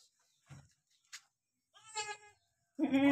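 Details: Goat bleats from a mother licking her two newborn kids: a short harmonic bleat near the middle, then a louder, strained bleat rising at the end, with soft low murmurs and a click between.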